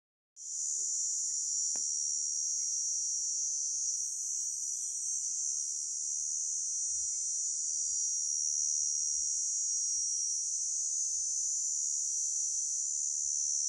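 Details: Grasshopper giving a continuous, steady high-pitched buzzing trill that runs unbroken for the whole recording after a sudden start, with a single brief click early on and little other sound.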